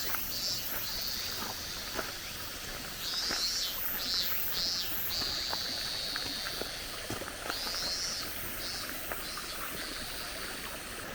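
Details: Mountain cicadas at the close of summer on a Japanese forest road: buzzing phrases rise and fall in separate pulsed bursts over a constant high hiss, with light footsteps on gravel ticking underneath.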